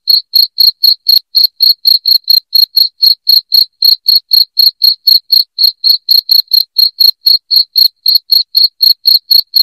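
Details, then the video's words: Loud cricket chirping played to drive rats out of a house: sharp, high chirps repeated about four times per second in a steady, unbroken rhythm, with no other sounds. "SUARA JANGKRIK NYARING PENGUSIR TIKUS"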